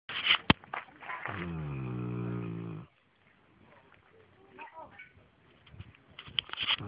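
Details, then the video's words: Newfoundland dog snoring: one deep, rumbling, drawn-out snore with rich overtones lasting about a second and a half, framed by brief rustles and soft breathy noises before and after. "Un terre-neuve qui ronfle!!!!!!!"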